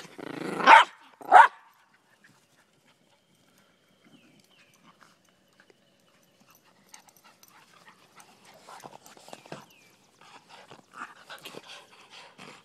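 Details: Miniature Pinscher and Rat Terrier mix dogs named Daisy and Rose during a game of fetch; two sharp, loud barks open the recording, followed by long quiet stretches with faint rustling and movement.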